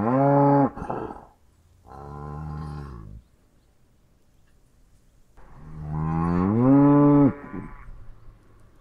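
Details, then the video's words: Cow lowing repeatedly: a short moo, a flat droning moo lasting over a second, then a long loud moo that swells and rises in pitch before cutting off; brief silences separate the calls. "Kuh geräusch - Kuhgeräusche"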